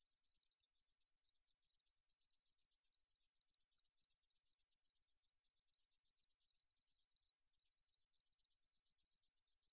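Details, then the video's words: Recorded in 2020 by Korea's National Institute of Biological Resources, a 등줄어리쌕쌔기 meadow katydid sings a continuous sizzling train of quick, evenly spaced high ticks, unbroken throughout, in a quiet background. "등줄어리쌕쌔기, 여러번 듣기, 곤충소리"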